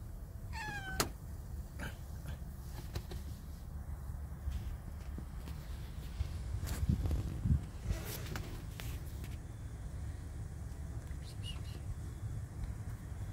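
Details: Domestic cat being talked to, apparently hungry: a single short, bending meow near the start, followed by soft knocks, thuds and handling noises over a low background hum.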